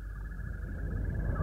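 A European green toad gives a steady, high, continuous trill that holds one pitch throughout, over a heavy low rumble of background noise.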